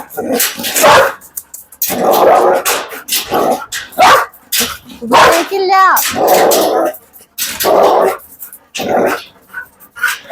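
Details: Belgian Malinois barking in loud, harsh bursts repeated roughly once a second across ten seconds, with a man's voice talking to the dog in Malayalam between and over the barks.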